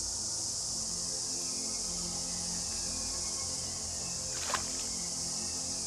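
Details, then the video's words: Riverside trees full of cicadas, several large and small species, early in their season; a continuous shrill buzzing wash holds steady from start to end, with one sharp click near the end and soft low hum underneath. "Wir sind gerade am Beginn der Zikadensaison, und wir hören sie überall."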